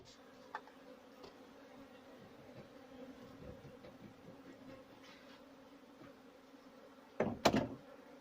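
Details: Honey bees at a home bee farm in Pakistan during honey harvesting; a steady, low droning hum runs throughout, with a few sharp knocks and a loud clattering thump near the end.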